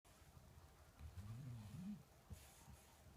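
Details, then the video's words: Rico, a sleeping Shar Pei dog, gives one drawn-out, low rumbling snore lasting about a second, with a faint hiss of room noise around it. "Rico the sharpei snoring"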